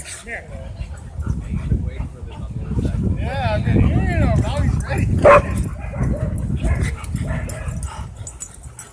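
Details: A black dog squares off against a pitbull and a German Shepherd at a dog park; a quick cluster of rising-and-falling yelping barks peaks midway, over steady low rumble and a person's voice nearby.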